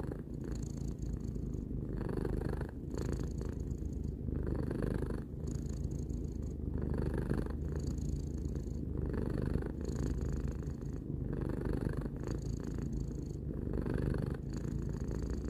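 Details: Calm indoor purring from the cat Tarou, three years old; a thick low-pitched rumble swelling and easing with each breath, repeated at an unhurried rhythm, with no background noise.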